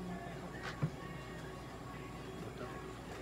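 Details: Quiet background music plays in an indoor room, with one brief soft knock and no animal voice.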